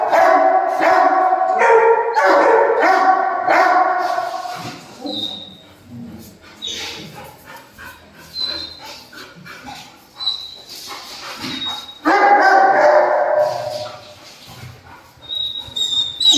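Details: Dogo Argentino in two bursts of quick, tonal, ringing barks at the start and near the end, with a quieter stretch between marked by faint high whistles and soft rustling.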